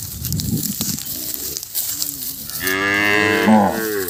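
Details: Calf separated from its mother crying, Thailand: one drawn-out harmonic moo starting near two and a half seconds and running to the end, after low rumbling noise.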